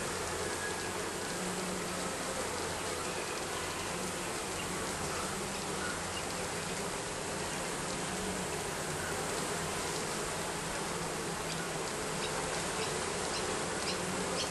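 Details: Bees under roofing produce a steady, dense buzzing hum that holds without a break, broadband and even throughout with a faint low drone beneath.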